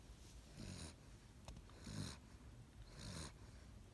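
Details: Seven-week-old Great Dane puppy snoring while asleep: three rasping breaths about every 1.2 seconds, each a low rumble with a hissy upper edge, over a steady low indoor hum.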